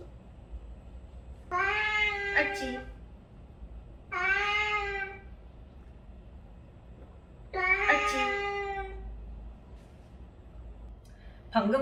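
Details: Cat meowing played back as a training stimulus for a dog that barks: four loud, rich meows spaced a few seconds apart, each a wavering, slightly falling wail, in a small quiet room.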